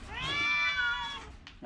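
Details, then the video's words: One long, steady, plaintive meow, just over a second, from an orange cat suffering from a cough and a cold, ending with a brief knock. "Kucing Oren Lagi sakit batuk pilek"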